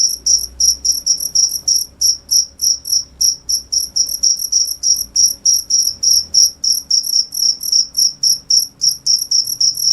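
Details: Repeated high-pitched chirps of a cricket, crisp and evenly spaced at about three to four per second, with a faint low rumble underneath.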